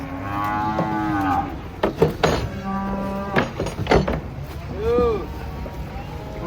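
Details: Cattle unloaded from a truck low a few times: a short moo, a steady lower bellow, then a brief arched call, broken up by loud bangs and knocks of hooves or metal against a rumbling background.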